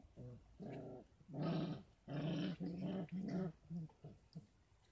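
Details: Kangal pups, 33 days old, kept on a Kangal breeding farm and given extra goat milk and formula. Repeated growling whines come in roughly regular pulses, loud and harmonic, fading into shorter yelps.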